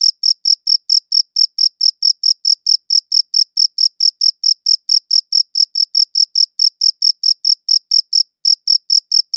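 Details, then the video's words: Long unbroken run of cricket chirps, high and piercing, pulsing at a steady rate near four per second with a faint upper band, nothing else audible. "Cricket Chirping Sounds"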